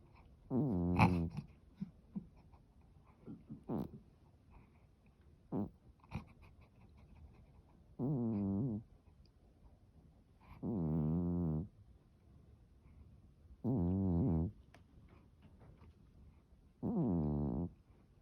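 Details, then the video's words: Norwegian Forest cat asleep and snoring. Soft clicks and brief snuffles come first, then four drawn-out, low, droning snores at steady intervals of about three seconds. "猫のいびき ノルウェージャンフォレストキャット Norwegian Forest cat"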